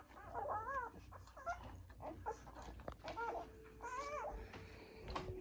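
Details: Poodle puppies on their first day of life, nursing, give short wavering squeaks in bursts roughly every second, with soft rustling between calls.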